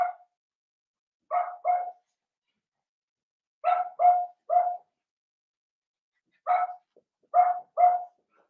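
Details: Seven-week-old blenheim Cavalier King Charles Spaniel puppies in a home puppy pen giving short, clear yips in clusters of two or three, separated by pauses of a second or more in otherwise quiet surroundings.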